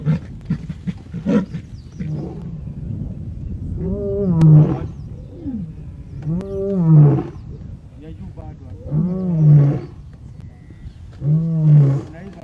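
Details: A resident male lion in the Masai Mara roars to restore order in his pride after a scuffle over a kill, where an older lioness chased a young lion away: deep grunting roars repeated about every two and a half seconds, other lions snarling early on.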